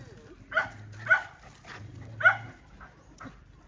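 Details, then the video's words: Dog protecting her puppies during a fight, giving three short, sharp barks spaced about half a second to a second apart, with a low hum underneath. "Poor Dog Fighting Protect Babies"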